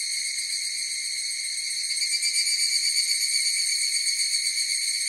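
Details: Chorus of higurashi cicadas: a steady, high, ringing drone of stacked tones with a fine pulsing texture that swells slightly in the middle, continuous throughout, with no other sounds.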